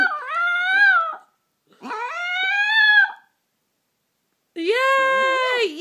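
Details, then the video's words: Pet Chihuahua, five years old, howling along to music and singing at home: two long, wavering howls that climb slightly, then after a pause a third, steadier and brighter howl. The room is otherwise quiet. "Chihuahua singing Christmas Carols"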